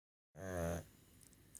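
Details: An old pug, aged 12, asleep and snoring, gives one low, rumbling snore, deep and buzzy, that fades into quiet breathing.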